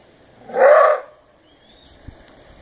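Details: A captive maned wolf at Wildlife Safari, Winston, Oregon, gives a single loud, hoarse roar-bark lasting about half a second, apparently reacting to lions staring at it from the next fence.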